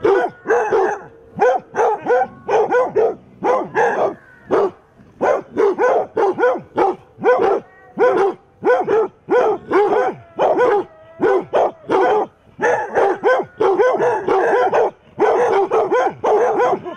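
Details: A group of eight basset hounds defends against a mechanical Halloween cat with a sustained chorus of deep barks. Barks arrive steadily, about two per second, overlapping in places, with occasional drawn-out bays, and no pause longer than a moment.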